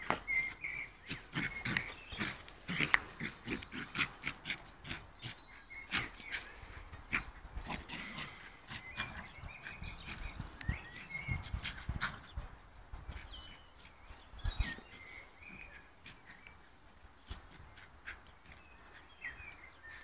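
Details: Fox Terrier dog playing football, giving short, sharp barks in irregular bursts mixed with thumps and scuffles, while birds whistle thin high notes in the background.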